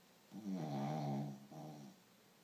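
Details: Dog snoring while asleep: one long, loud, rasping, harmonic inhalation about a second long, then a shorter, softer second snore right after it, in a quiet room.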